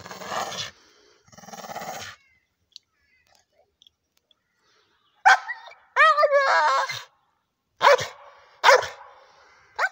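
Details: An old Staffordshire bull terrier, digging about and getting worked up at a rope swing, gives harsh, noisy growls and sharp barks in uneven bursts.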